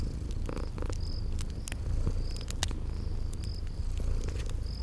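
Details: Sleeping kitties keep up a low, even purr beside a crackling fireplace; scattered pops, a few brief mid-pitched bursts and high chirping notes of a spring garden ambience sit over the rumble.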